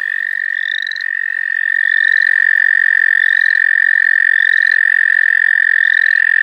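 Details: Frogs trilling at the St. Olaf College Natural Lands while one is being caught: a loud, even, high trill fills the whole stretch, and a rising peep answers about once per second above it.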